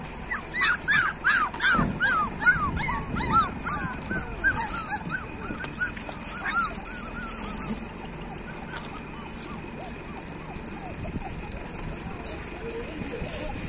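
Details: Several street dog puppies cry together outdoors, a rapid series of high falling whimpers and yips for the first seven seconds, then quieter scattered whines over steady background hiss.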